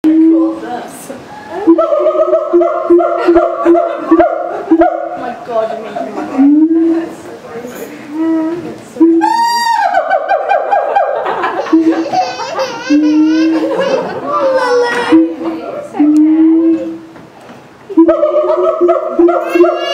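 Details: Siamangs at Auckland Zoo on 11 September 2012, going wild and calling loudly enough to be heard across the zoo: steady low hoots repeat, then a rising, quavering scream near the ten-second mark, with visitors' voices mixed in.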